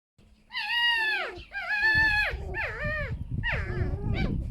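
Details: Pet foxes rescued from a fur farm, two sharing a den indoors, exchanging what is described as a harmless song: drawn-out harmonic squeals that sag downward at their ends, four calls over the span, with a low rumble beneath.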